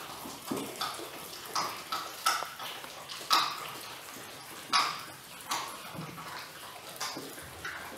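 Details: Six-week-old Weimaraner puppies, eating chicken wings for the first time, give short high squeaky whines at irregular intervals, some doubled, over a steady background of wet crunching and chewing noise.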